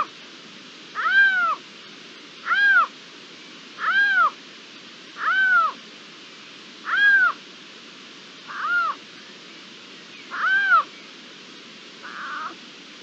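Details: Iberian lynx calling on 27 April 2022 in an ambient field recording: a series of eight arched, meow-like calls roughly every one and a half seconds, the last two rougher and shorter, over low steady hiss.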